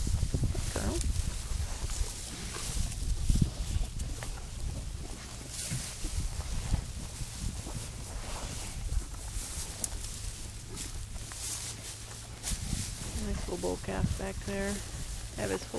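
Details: Galloway cattle on a Kansas farm in winter; after a stretch of rustling and broadband handling noise, a drawn-out harmonic moo rises and wavers near the end, lasting about three seconds.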